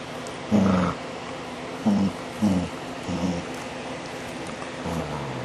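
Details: DaVinci the dog, recorded July 2011, producing funny vocal sounds: short low growling grumbles with a nasal whining edge, five or six bursts roughly every second, the last one trailing and falling, against a constant low hum.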